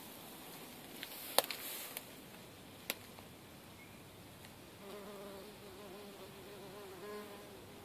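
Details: Bumblebees, a nest removed from a loft space in Mansfield during pest control, give a low, droning buzz that wavers in pitch after a few sharp knocks and clicks.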